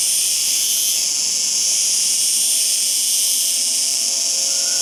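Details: Cicada singing: an intense, high, rasping buzz that swells and eases gently in places while staying continuous throughout.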